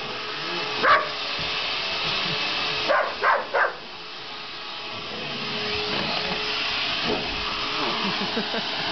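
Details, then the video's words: Pet dog Sasha barking at a running vacuum cleaner it dislikes indoors: one sharp bark, then a quick run of three around three seconds later, over the vacuum's steady whining roar. "Dog hates Vacuum"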